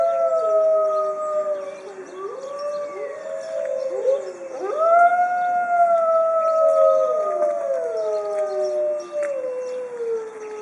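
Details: A pack of white Arctic wolves (Canis lupus arctos) in a zoo howls together for over two minutes, several long, sliding voices overlapping in a mournful chorus.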